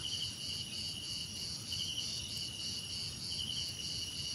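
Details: Cricket chorus among insects in a calm nature ambience, several layered high trills pulsing evenly about three times a second over a constant shrill hum, with soft low rumble beneath.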